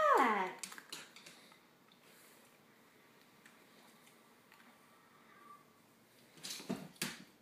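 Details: Siberian Husky puppy seeing bubbles for the first time, opening with a sharp, high, falling whine, then near silence with faint rustles and soft thumps, ending in a few brief noisy bursts.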